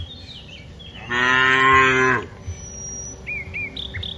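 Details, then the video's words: One of dozens of cows moving from the rice fields to the village gives a single strong, steady moo of about one second. Soft bird whistles and chirps follow in the quiet afterwards. "Dozens of cows are walking from the rice fields to the village, Moo's funny cow sounds, Cows Sounds"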